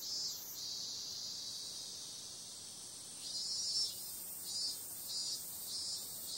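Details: Cicadas at night in summer, described as periodical cicadas: an unbroken high, sizzling drone that turns into a run of evenly spaced pulsing swells in the second half.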